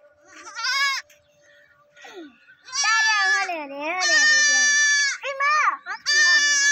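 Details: Four baby goats bleat in high, wavering, nasal cries, several overlapping.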